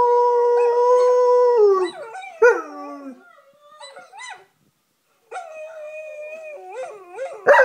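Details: A German Shepherd howls along to a video of other dogs howling, in long, mournful tones that hold steady, then bend and fall away.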